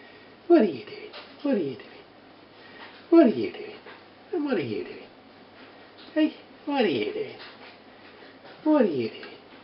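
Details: Four-week-old Border Terrier puppies with their three-year-old mother, a litter of one bitch and three dogs, indoors: short whining yelps that slide sharply downward, repeated roughly once a second, with faint room noise between them.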